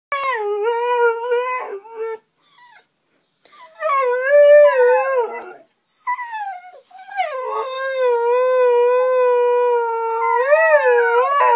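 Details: Two Siberian huskies howl after hearing a car alarm: long, steady, tonal wails that bend upward and downward in pitch, with brief pauses near two and six seconds before the voices resume and overlap into a sustained chorus.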